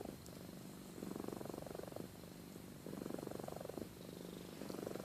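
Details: Amy, a domestic cat, purring while asleep and snoring: a steady low rumbling purr swelling in louder bursts about once a second, alternating with softer stretches, in a quiet indoor setting.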